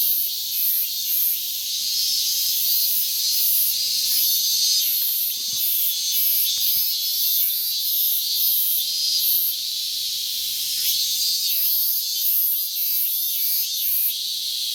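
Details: On 12 August 2019 a Minmin cicada calls from the morning after a late start to the season. Shrill high-pitched drone throbs in uneven pulses for the whole stretch, with a few faint clicks underneath.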